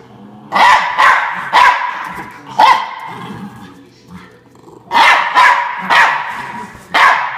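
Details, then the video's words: Norfolk Terrier Ernie barks in defence of his bean bag chair: a cluster of three quick yaps, a lone bark, a quiet gap with soft low sounds, then another fast run of barks. "Norfolk Terrier Ernie Defends His Bean Bag Chair"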